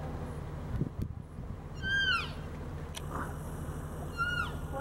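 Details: American black bear cubs in Yellowstone National Park, feeding on a deer fawn and calling to each other: two separate arched, tonal, falling cries about two seconds apart, with faint clicks and a low background rumble.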